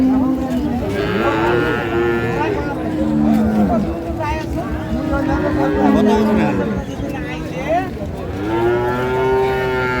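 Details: Dairy cows and calves of improved breed at Ambari haat market in Dinajpur, Bangladesh, on market day, 9 March 2025: several overlapping moos, short rising-and-falling bellows repeating every second or two, with crowd chatter and a passing vehicle behind.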